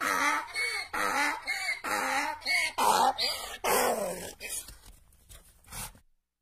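A donkey brays in a run of harsh, rasping honks, about one each second, fading at the end.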